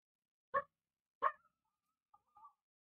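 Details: Small female street dog, its voice thin compared with the heavier Tibetan Mastiff, giving two short sharp barks about a second apart, followed by a faint higher whine-like trailing sound in a quiet setting.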